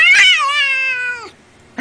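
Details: Domestic cat giving a loud, drawn-out meow lasting about a second, with a bright rising start that levels off and then drops, followed by a short pause and the start of a second call; indoors.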